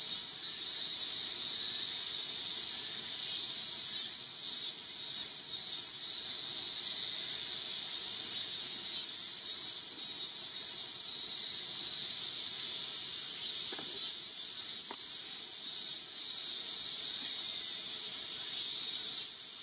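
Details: A male Yabukiri katydid, perched motionless on a guardrail in Iwanuma, Miyagi, Japan, on 20 August, sings a steady, high-pitched, buzzy trill that runs on without a break.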